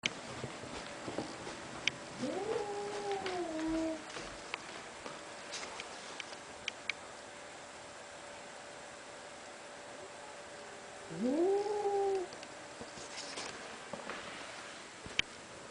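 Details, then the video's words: Cat giving deep, drawn-out meows, two calls about nine seconds apart, each sliding upward and then holding a low steady tone, with quiet background and faint clicks between. "Cats Make Funny Noises"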